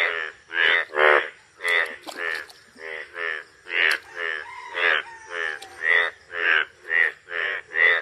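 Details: Bright yellow breeding male Indian bullfrogs (Hoplobatrachus tigerinus) give loud, nasal, croaking mating calls, repeated in a steady rapid series.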